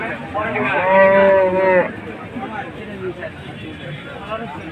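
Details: Qurbani cow at the Jamalpur Gorur Haat cattle market in 2022 gives one loud, drawn-out, harmonic moo of about a second and a half, followed by a background of market chatter and crowd noise.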